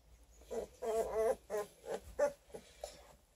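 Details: Litter of twelve-day-old Redtick and Black & Tan Coonhound cross pups near Kingston, Ontario; a quick run of nasal, wavering whines and squeaks, several overlapping, fading toward the end.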